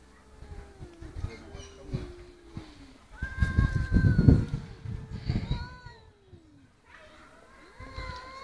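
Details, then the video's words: Two domestic cats arguing: low, moaning yowls that slide up and down, overlapping with a burst of rustling and thumping noise midway, then more drawn-out wails. "Two Cats Arguing"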